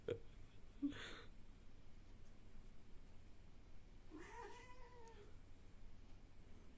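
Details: Indoor cat, mostly quiet at first apart from a couple of sharp clicks, then a single soft, falling meow lasting about a second, heard faintly over a low background hum.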